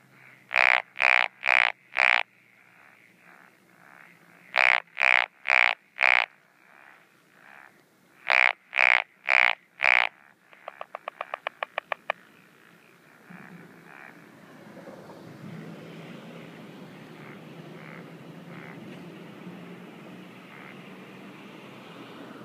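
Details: Night chorus of a Japanese wrinkled frog in breeding season at paddies and ponds, 17 June 2013: three bursts of four grating croaks each, then a rapid rattle of clicking pulses, followed by fainter croaks against rising background noise.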